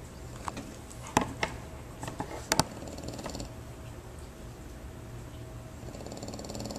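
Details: A French Bulldog snores at a board-and-train dog training facility, a low, steady rumble broken by a few sharp clicks and knocks.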